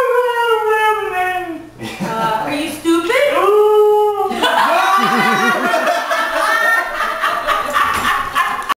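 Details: A female Siberian Husky "talking" in a drawn-out "no"-like howl, followed by shorter bent yips and warbling, wobbling vocal sounds with some human voice mixed in.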